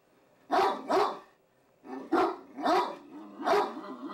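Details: Deaf Great Danes bark repeatedly with deep, full-throated, gruff, slightly hoarse woofs in irregular clusters of two or three, spaced about half a second apart.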